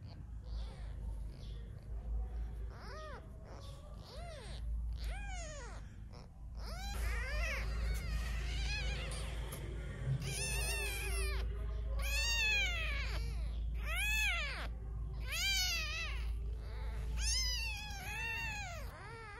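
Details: Around a mother cat and her newborn kittens, hand-fed after one sickened and died, many rising-and-falling meows crowd together, some overlapping and getting faster and more insistent toward the end, over a constant low hum.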